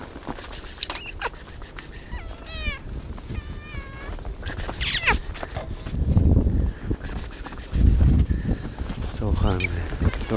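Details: Hungry cats on a very frosty day, meowing because they want hot food; several drawn-out harmonic meows, some bending up then down, around the middle and near the end, over steady ticking clicks, footsteps and low rumbling.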